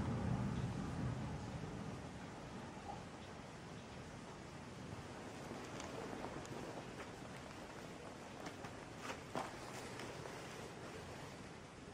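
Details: Outdoor rustling and footsteps over steady low rumble and background noise, with a few brief knocks near the end and no animal voice.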